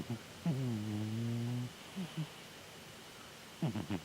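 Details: Cat named Chataro asleep and snoring: one long, low, buzzing snore of just over a second, then brief soft snorts and a cluster of small clicks at the end.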